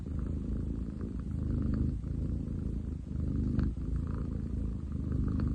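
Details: Loud, rumbling purr from Ten chan, a male long-legged munchkin cat, filmed 30 July 2023; deep continuous vibration rising and falling in breathing cycles about every second or two.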